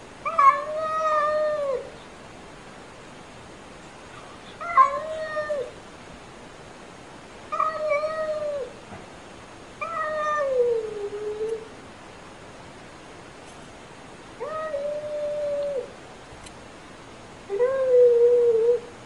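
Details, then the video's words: Domestic cat meowing: six drawn-out, clear, tonal meows, each lasting one to two seconds and arriving every two to three seconds, some level and some sliding downward at the end, in a quiet room. "WHEN CAT MEOWING AND PURRING"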